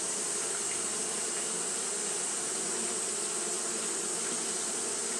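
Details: Japanese honey bees fanning nonstop in the heat; a smooth, even swarm-like hum with a bright constant hiss on top and a faint deeper drone in the background.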